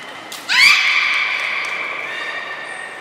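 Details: Beluga during a training session at Port of Nagoya Public Aquarium, 16 December 2018, with belugas Gray, Mirai and Niko: one harmonic call that sweeps sharply upward, then holds a steady tone for about two seconds and fades out, in a reverberant hall.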